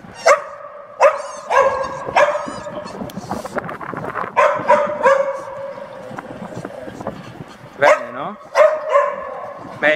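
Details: Repeated loud barking in short bursts, some yelping and rising, mixed with a man's spoken commands throughout; training session in Genoa for a female AmStaff, Venus, and a male Staffordshire Bull Terrier, Zeus, who had leash-walking control problems.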